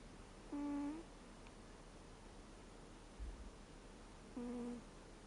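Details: Reo, a 13-year-old American Shorthair cat, snores while asleep indoors, the snore shifting from a 'guu' to a 'puu'. Two short, steady, nasal humming tones about four seconds apart, with quiet room hiss between them.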